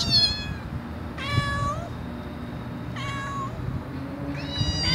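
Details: Domestic cat meowing to attract other cats: three clear, separate meows about every one and a half seconds, each a level tone with a slight rise at the end, over a low background hum.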